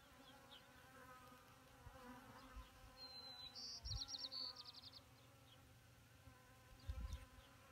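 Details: Honeybees drinking from a little pond, perched on rock and bare soil, May 2018: an overlapping, droning buzz whose pitch drifts up and down. A quick bird trill sounds midway, with a few low thumps.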